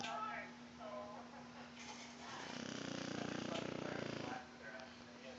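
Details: Sleeping dog snoring: one rough, rumbling snore about two seconds long with fast buzzy pulses, with a person talking quietly before and after it and a steady hum underneath.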